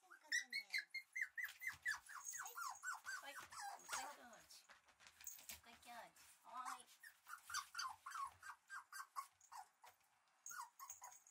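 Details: Red male Shiba Inu puppy, bred for showing, giving a long run of short high whines and yelps, many falling in pitch, packed several per second, with occasional speech in the background.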